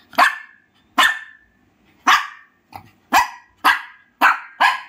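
A Shih Tzu gives sharp, high barks, about one every half second to second.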